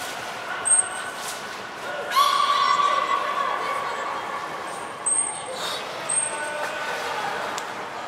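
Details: Training session with belugas Gray, Mirai and Niko at Nagoya Port Aquarium on 16 December 2018. A rich stacked harmonic call rises out of the background midway, among short piercing trainer whistles and the murmur of a crowd.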